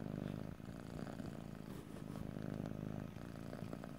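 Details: A pet cat purrs up close, low rumbling vibration pulsing with each breath, one short dip near the half-second mark, quiet room with no voices.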